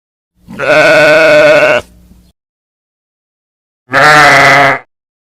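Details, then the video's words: Two sheep bleats, the first long and quavering, the second shorter and brighter, each a full nasal baa with a strong harmonic stack, silence between. "Different sounds of a sheep."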